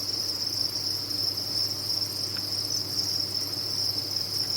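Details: Dense chorus of many captive crickets on a cricket farm: a steady, shrill high-pitched trill that never pauses, over a faint low hum.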